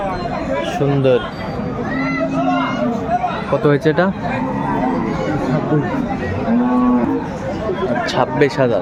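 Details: Cattle, cows with calves, at Aftabganj livestock market in Dinajpur, Bangladesh, on January 4, 2025: several drawn-out, arching low moos, each about a second long, over steady crowd chatter and men talking nearby.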